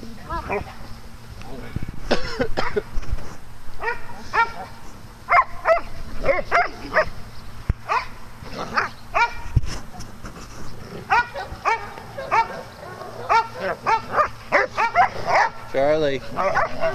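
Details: Dogs at play on a farm giving many rapid, high yipping barks in irregular bursts, several animals overlapping, with people's voices in the background.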